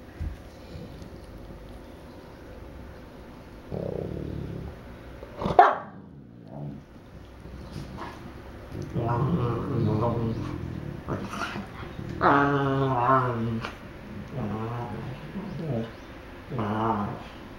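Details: Newfoundland brothers in their back-and-forth 'conversation': quiet rumbles, a sharp sudden bark, then drawn-out, moaning, whine-like vocal phrases with clear tones, mixed with human speech.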